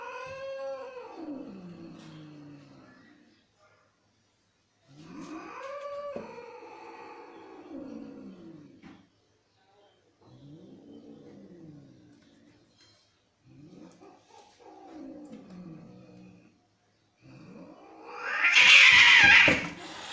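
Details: Angry fighting cats utter a series of four or five wavering, downward-sliding wails with pauses between them, ending in a sudden loud hissing, scuffling burst.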